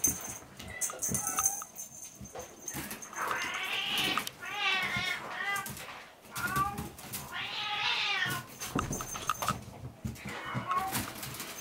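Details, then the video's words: Munchkin kittens, 58 days old, romping about in play. Two drawn-out, wavering meows rise and fall, one near the middle and one a few seconds later. Between them come short squeaks, with scuffling, tapping and thumping from the kittens' play throughout. "マンチカン 子猫 運動会中 ２"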